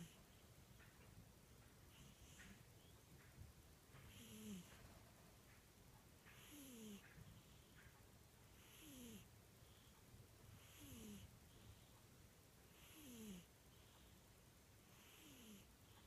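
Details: Snoring cat, breaths repeating about every two seconds, each ending in a short descending whistle and airy hiss, with a constant low rumbling background.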